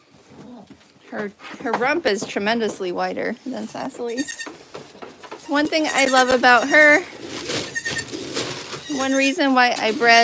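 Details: Rapid, choppy goat bleats fill the air at The Willful Goat Farm & Home, short wavering cries tumbling one after another with a few longer quavering calls near the end.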